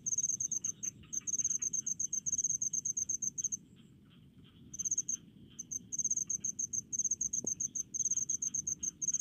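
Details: A cricket in rice paddies gives rapid, high, pulsed chirps in regular bursts with brief pauses.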